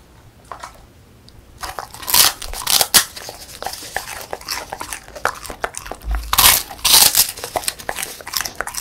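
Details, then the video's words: Indoors, the female Beagle Song Mung-i chews a crunchy puffed rice snack; after a quiet opening, steady crisp bites and crunches follow, with brief loud crackles. "비글 강아지 먹방 : 바삭 쌀 뻥튀기 ( Beagle / Real Sound / Eating Sound / Eating Show / Mukbang / Dog ASMR )"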